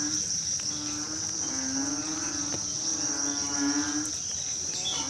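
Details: Narrow-mouthed frogs calling on a rainy night: low, droning, harmonic-rich notes that swell and fade in overlapping bouts. A steady high insect whine runs underneath throughout.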